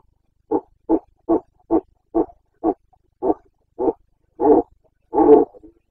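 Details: Carpathian red deer stag during the autumn rut in Bucovina: a rapid series of eight short grunting barks, steady at about two per second, ending in two longer, louder roars, clean background.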